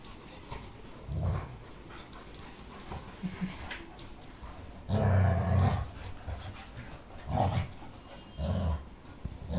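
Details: A female Labrador Retriever and another dog play-fight, growling in low, rumbling bursts as they scuffle.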